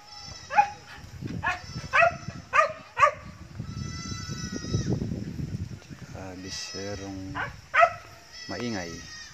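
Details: Goats in an owner's newly expanding herd call in a quick series of short, nasal bleats, then a longer drawn-out one, followed by more wavering cries near the end, with low background noise.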